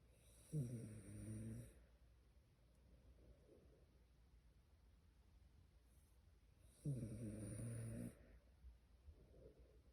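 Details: Tired Shiba Inu sleeping and snoring: two loud rattling snores, each about a second long, roughly six seconds apart, separated by quieter breathing in a still room.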